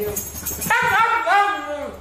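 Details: A dog 'talking': after a brief rustling start, a drawn-out, wavering whine in two linked phrases, the second rising then sliding down, with a human-like, speech-like 'love you' quality.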